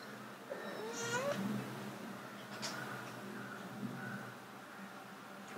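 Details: Two cats named Bluey and Kage, trying to mate: one clear rising, drawn-out meow near the start, then only a steady low hum and faint rustles.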